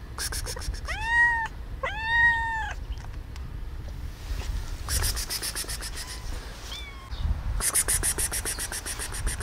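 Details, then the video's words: Cat giving two loud, ringing meows close together while another cat hisses; later long pulsing hisses fill the second half, with a faint short meow between them. "why do cats meowing and hisses"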